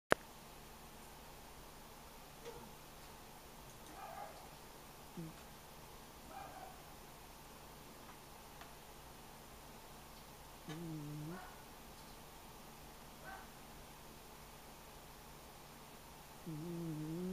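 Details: Gigi, a pet Shetland Sheepdog, snoring away while asleep: soft low nasal snores with long quiet gaps, faint snuffles early on, then two longer, louder drawn-out snores near the middle and end, over a steady faint room hum.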